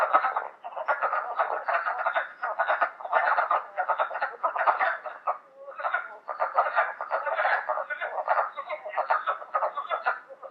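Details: Wood frogs at a vernal pool on May 1 chorus in a steady run of short, hoarse, chuckling clucks like quacking ducks, overlapping into a continuous low rattle, with one brief lull before resuming.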